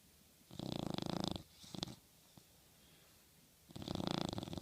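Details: Dog sleeping and dreaming on a pillow, snoring in two loud, raspy, rattling bursts of about a second each, plus a shorter snort between them, separated by quiet indoor stillness.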